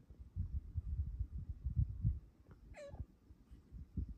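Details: Female cat snuggling in the morning gives one quick, high chirping trill that bends down sharply, amid low rustling and handling noise indoors.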